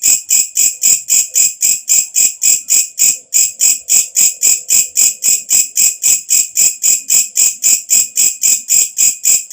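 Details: Katydid heard at night: shrill, metallic pulsed chirps repeating regularly about four times per second, steady and loud, with a faint low hum briefly in the middle.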